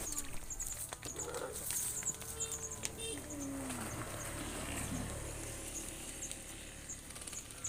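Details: A herd of tame cows moos in drawn-out, falling calls while wandering along a dusty road home to the barn, with small birds chirping outdoors.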